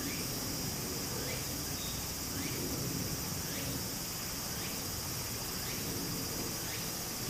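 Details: Cicadas singing in summer beside a small flowing stream in Japan; a steady, hissing high-pitched drone sits over the stream's continuous rushing water, with faint short repeated notes every second or so.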